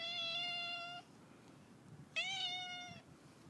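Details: Friendly male neighbourhood cat with a raccoon-like tail, meowing while being fed: two long, clear, harmonic-rich meows, the first about one second long and steady, the second starting with a sharp onset, in a quiet setting.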